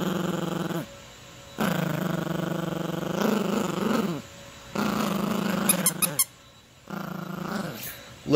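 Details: Playful Yorkshire Terrier puppy named Gracie growls in short, deep bursts while tussling over a toy with her owner, separated by silent gaps, with a few sharp squeaky clicks and the owner's voice mixed in.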